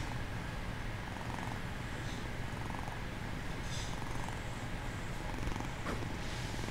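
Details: Bengal kitten feigning sleep, purring steadily: a low, continuous rumbling throb that runs unbroken through the whole stretch, with no other clear sounds.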